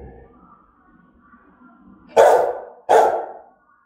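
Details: German-type Rottweiler giving fierce, threatening barks: after a quiet start with faint low background murmur, two loud, deep, explosive barks land close together, about 0.7 seconds apart, each ending in a short ringing tail.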